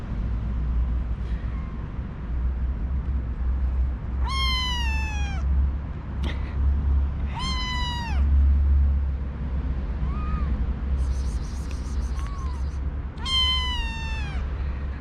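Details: Newly arrived kittens in a kitten cage in the morning, nine in all, one male very vocal and meowing even after being fed: loud falling harmonic meows, three prominent ones a few seconds apart with fainter meows between, over a steady low hum and a brief high tone.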